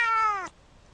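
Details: Cat giving the tail end of a meow, a clear harmonic tone falling gently for half a second, then quiet room noise.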